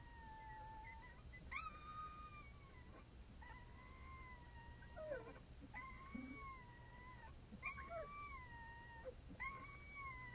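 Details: Six red wolf pups, a day short of one month old, give high, wavering, overlapping howls in short bursts in the early morning, joining in as adults howl. Finding: Red wolf.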